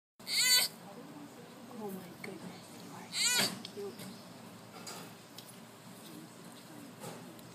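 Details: Baby sloth making cute noises while exercising at playtime: two loud, high, harmonic squeaky cries about three seconds apart, each rising then falling, with softer murmurs and faint human voices in between.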